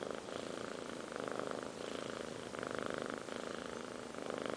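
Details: Five-month-old kittens Liz and Taby snoring: a continuous, grainy rasp that gently pulses with each breath, roughly once a second, steady and unbroken throughout.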